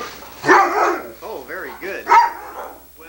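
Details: Sunny, a female Irish Setter filmed indoors in 1987 on old VHS tape, a dog who likes to talk, gives wavy, rising and falling yodel-like moans in short bursts between a person's encouraging speech.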